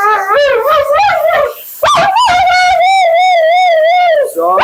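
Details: Vocal Siberian Husky Mila, at her second groom, delivers a wobbling, warbling moan that rises sharply and then holds a long vibrato-like quavering tone, with steady hiss of grooming equipment behind.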